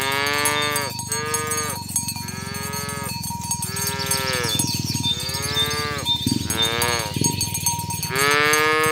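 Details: Tame cows herded along village roads toward the pen in the morning, roaming green grass fields and calling others to gather: a quick run of overlapping, drawn-out moos, roughly one every second, over a constant jangle of cowbells.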